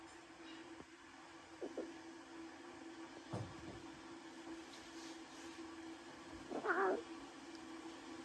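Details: Newborn lion cubs, a brother and sister, at Taigan: mostly quiet indoor background with faint soft bumps, then near the end one short, harmonic, cat-like mewing cry from a cub.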